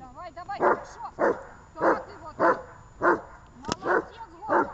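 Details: Dog on 23 December 2018, Gosha and Gesha: brief whining yelps at the start, then a regular string of seven hard barks roughly every half second to second.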